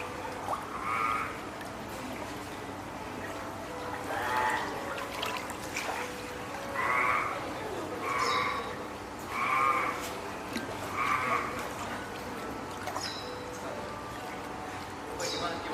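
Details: Spotted seal pup, female, born 19 April and hand-reared at Oga Aquarium, Japan, recorded 9 May 2017, calling loudly for its keeper, perhaps hungry or wanting to climb onto land; six short bleating wails, roughly one every one to two seconds, plus water noise.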